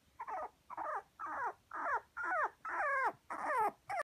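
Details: Red male Toy Poodle puppy, 48 days old, from a breeder in Kumamoto, Japan: a series of eight high, wavering whines and yelps, each about a third of a second, coming roughly twice per second in a quiet room.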